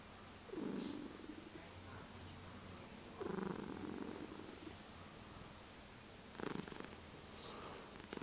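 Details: Chocolate spot tabby crossed with seal point Siamese cat calling indoors in the morning to wake its owner; three short, low meow-like cries at about two to three second intervals, with purring and soft rustling between them.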